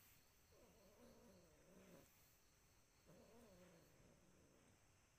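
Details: ['A cat giving two long, low, wavering meows about three seconds apart, each drawn out for roughly one and a half seconds, over a steady background hiss.']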